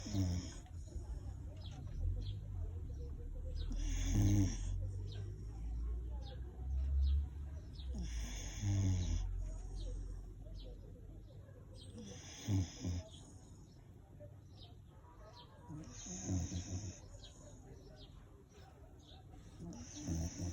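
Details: Sleeping dog snoring, each rasping, low, breathy snore lasting about a second and recurring roughly every four seconds, with quieter breathing between and faint background hiss.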